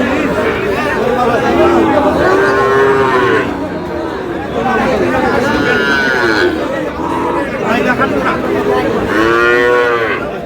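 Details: At Aftabganj market in Dinajpur on 13 June, Sahiwal bull calves are bought and sold as the market opens. Several steady, droning moos come early in the clip and a strong harmonic bellow near the end, amid constant crowd chatter.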